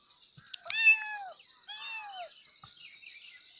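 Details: Kitten calling for its mother with two clear meows, the first loud and arched, the second softer and falling, followed by quiet background hiss.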